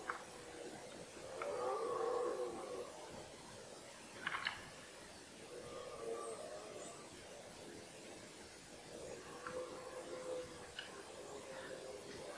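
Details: Red deer stag bellowing during the 2018 rut, a season that included a fight between two 14-point stags: a hoarse, harmonic roar of about 1.5 seconds, then fainter drawn-out roars near six and ten seconds, with scattered clicks and faint background noise.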